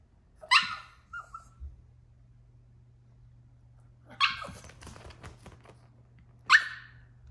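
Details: Troy, a Yorkshire Terrier puppy, throwing a tantrum indoors: sharp high barks at the start and end with a quiet yip between, pauses of several seconds separating them, steady low hum underneath.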